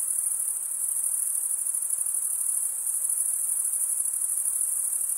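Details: Continuous high, ringing chirp of crickets rubbing their serrated wings together, an even shimmering buzz that never drops out over a few seconds, over a quiet hiss.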